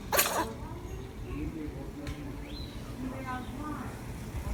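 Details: Pet cat sneezing: one sharp, noisy burst right at the start, followed by quiet murmured human voices and faint room noise.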